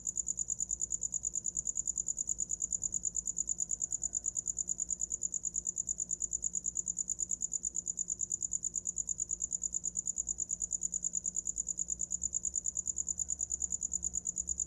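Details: Cricket chirping nonstop for sleep, a bright metallic pulse train repeating about three times per second and perfectly even throughout, over a soft low rumble.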